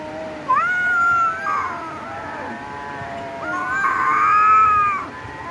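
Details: Fighting domestic cats give two long, tense yowls, each holding a steady wavering pitch for about a second before bending down, with a brief rough gap between them.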